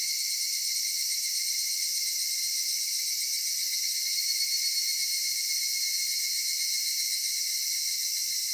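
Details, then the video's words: Cicadas in a cedar forest at summer dusk keep up a loud, level, high buzzing chorus with several shimmering bands. The drone stays unbroken and even, with almost nothing in the low range. "夏夕暮れ杉林 セミの鳴き声"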